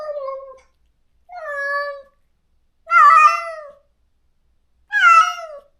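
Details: Loud, insistent meowing from a neutered stray cat calling every day for its separated best friend in a rural yard: four sustained cries about a second and a half apart, the later two rougher and stronger.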